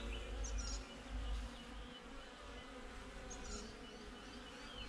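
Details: Beehive of honey bees, filmed with a GoPro outside the hive: an even, layered buzzing drone with a low rumble early on and two short, high bird chirps.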